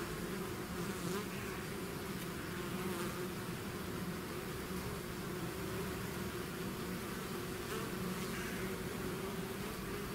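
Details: Swarming bees out of the hive create a thick, continuous buzz, a steady low drone layered with fainter wing whine from many insects.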